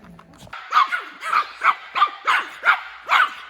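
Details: Young male Maltese dog, born May 2019, excited on a forest outing in Okcheon, South Korea; after a short lead-in, seven high, sharp yapping barks come about every half second in a steady run.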